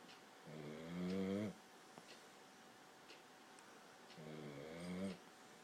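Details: Fourteen-week-old Boxer puppy asleep and snoring: two buzzy, rasping snores about a second long, each swelling in loudness, roughly three seconds apart, with quiet breathing noise between.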